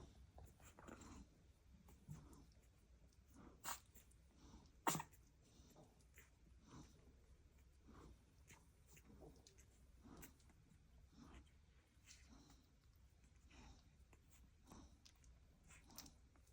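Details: Milk-drunk newborn blue Staffordshire Bull Terrier puppies flat on their backs after feeding. Soft snuffly breathing and faint squeaks run throughout. A short puff comes near three and a half seconds, then one crisp tiny sneeze just before five seconds, in a quiet room.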